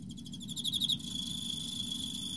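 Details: Emma field cricket singing in autumn: a quick chirp of about eight high, rapid pulses rising in loudness, followed by a steady high continuous tone and low background rumble.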